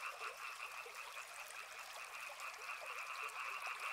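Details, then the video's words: Many frogs calling together by a river: a dense, continuous chorus of rapid, rattling croaks in two stacked bands, one mid-pitched and one higher, with a steady hiss beneath. "Soothing sounds of river and frogs"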